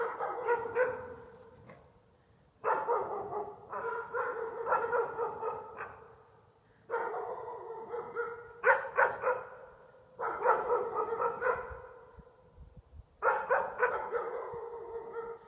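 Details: Two pups, Iskra and Rudj, bark at reflections seen in the windows. Sharp, fairly high barks come in quick clusters of three to five, with short pauses between about five bouts.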